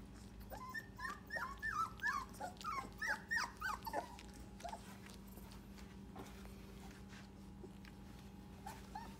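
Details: English Cream Golden Retriever puppies at four weeks old, making a quick series of high, squeaky whimpers and yelps for about four seconds, then quieter with a faint squeak near the end, over a steady indoor hum.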